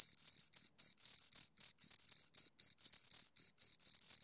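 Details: Two crickets keep up a fast, high-pitched chirping, short bright pulses following one another several times a second with slight irregular spacing, against silence.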